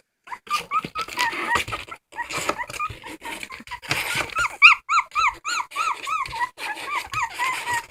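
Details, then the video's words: Whimpering dog: after scattered broadband thumps, a steady series of clear arched squeaky cries repeats about three times a second, each swooping up then down, in a small indoor room. "Funny dogs crying"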